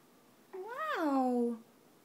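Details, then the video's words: A Siberian Husky "sings for his breakfast" at mealtime with a single short howl that rises briefly, then slides down into a long falling tail. "Husky howl"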